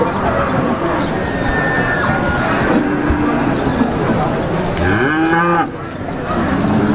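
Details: Peranakan Ongole cattle at the Wagenan market in Pati give low, steady moos. Near the end one louder bellow bends up then down. Market chatter and traffic hum run throughout.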